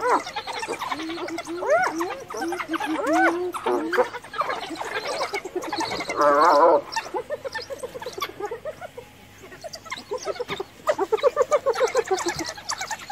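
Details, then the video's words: Female hyena, mourning a cub that had recently died, cornered by a pack of wild dogs and calling for backup from her clan; wavering harmonic cries, then a rapid quavering burst midway, with busy chattering calls all around. "Hyena Cornered by Wild Dogs Calls for Backup!"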